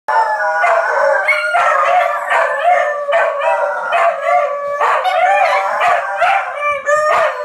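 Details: Four dogs howling together as a fire truck passes through their neighborhood, overlapping wavering tones with layered harmonics, sustained voices rising and falling continuously with short breaks and yips between them.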